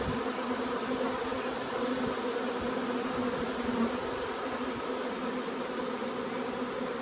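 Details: Arriving honey bee swarm filling the air with a steady, dense hum, low droning tones layered under a bright, even buzz, while a green-marked queen resembling a Carniolan walks into the hive; continuous with no pauses.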